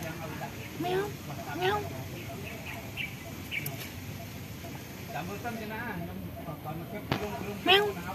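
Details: Cats living at a pagoda, hiding because they are afraid of humans, give short meows with rising-falling tones, about three scattered through the stretch, over steady low background hum.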